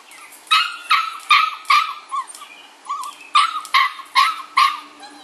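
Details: Rowdy bulldog pups about six weeks old, Felony X Noah litter, yipping in a rapid series of about a dozen short, sharp, high calls in two bursts, with a brief pause near the middle.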